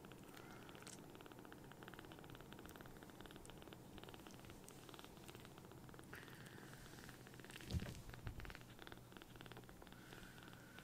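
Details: Small rescued kittens, palm-sized and just taken in, purring loudly while nuzzling for attention. An unbroken low throaty rumble, with a brief louder bump near the end and light clicking sounds.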